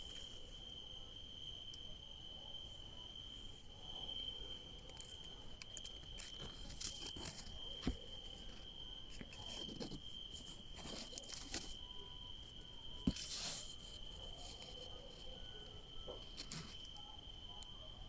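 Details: A continuous, high, ringing cricket trill at night where grapes grow holds unbroken from start to finish, with occasional close rustles, taps and brief scraping noises cutting across the even drone.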